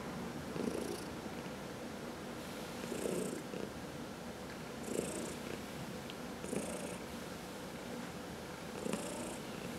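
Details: Domestic cat purring while being massaged: a low, steady rumble that swells in breathy pulses about every two seconds, each pulse topped by a soft hiss, in a quiet indoor setting.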